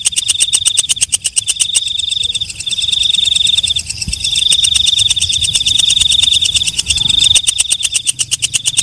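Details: Walang kecek, a night katydid, calling at night: rapid trains of sharp high ticks that merge into long, steady, shrill buzzing stretches, then break back into ticking, over a faint low background rumble.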